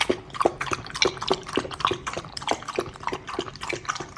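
A Pembroke Welsh Corgi puppy laps milk with quick wet clicks, about two each second.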